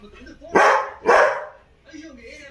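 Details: Evening at home with Labrador Retrievers Tom, Mona, Ruby and Sona: two forceful, harsh barks about half a second apart, followed by quieter, lower sounds fading out.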